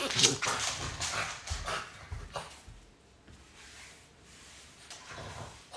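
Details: A French Bulldog that has heard strange noises makes a sharp, breathy yelp, then softer whining grunts and huffs, with human speech mixed in.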